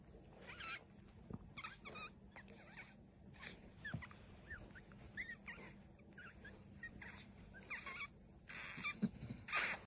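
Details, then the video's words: Newborn American Cocker Spaniel puppy, hungry at mealtime beside its mother Mura, at a breeder's home in Sendai, Japan; short high squeaks and whimpers come in quick bursts, roughly one or two per second, over a quiet background. "Newborn hungry spaniel puppy"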